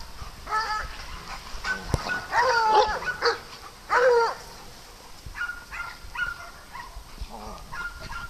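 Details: Dogs at play on a farm, giving a few loud, rough barks and yelps in short bursts near the start and middle. Fainter, steady, tonal honking calls from other farm animals repeat in the background.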